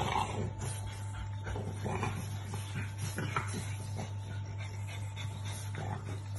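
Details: Several short, soft whimpers and snuffling grunts from French Bulldog puppies, spaced irregularly, against a steady low hum in the background.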